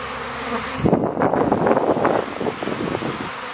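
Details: Swarming honey bees over flowering rapeseed in Ariège, France, in April. A loud, dense, rough buzz swells in after a quieter opening and pulses unevenly for the rest of the stretch.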